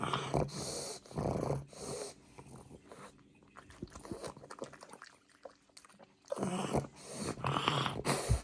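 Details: Pug puppy eating cucumber as a healthy treat indoors; loud, breathy snorts and wheezy puffs come in bursts at the start and end, with soft crunchy chewing clicks in a quieter middle stretch.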